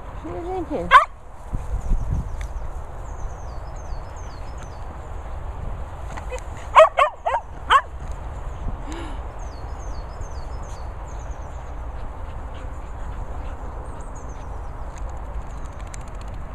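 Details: Dog barking during outdoor play among several dogs at training and boarding kennels in Worcestershire countryside: a sharp bark, then a short burst of three or four barks, with a person calling out and faint bird chirps behind.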